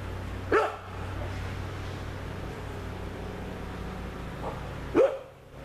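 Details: Dogo Argentino giving two separate deep barks about four seconds apart, with a low steady hum behind them.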